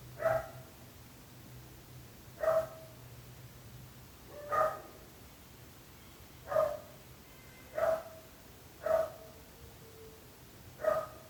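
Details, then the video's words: Persistent barking from neighbours' dogs: seven loud single barks, one every one to two seconds, each sharp and harmonic, with a low engine-like hum in the first half. "26 minuts gossos lladrant / 26 minutes barking dogs."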